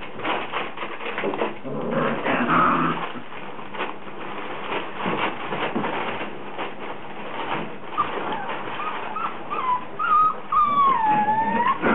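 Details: Rhodesian Ridgeback puppies in a frenzy, giving high, wavering whimpers and squealing whines that rise and fall, thickening into a run of tonal cries near the end, over steady scuffling and rustling.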